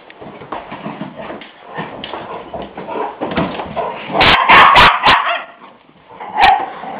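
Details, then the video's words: Two puppies, Ri and Jaz, at play on March 24th 2006, young Jazzy loud for her size: a run of yips, whimpers and short barks, busiest midway with sharp high yelps, plus scuffling noises. "Puppy Play"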